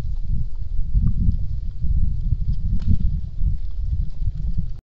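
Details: Wild boar (Sus scrofa) giving deep, rumbling, almost continuous grunts and snuffles in darkness at night, 22:49 on 27 November 2014, recorded by a deer camera.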